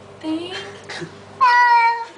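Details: A pet cat named Baxter protests while being given a flea bath. A soft voice speaks first, then one long, loud, wavering meow that sags gently in pitch near its end.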